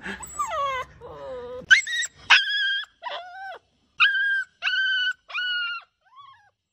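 A husky puppy gives a string of short, high, wavering howls, each breaking and falling in pitch.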